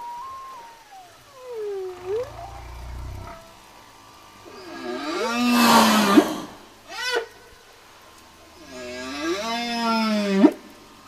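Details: Singing whale: a high tone glides down into a dipping moan, then a pair of loud, richly harmonic U-shaped whoops rise sharply at their ends, with a brief upsweep between them.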